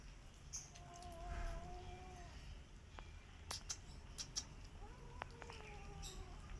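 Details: Rescue cat and kittens sharing a meal: a drawn-out, level meow of over a second, then a later pair of shorter, slightly falling mews, with scattered clicks and eating sounds throughout.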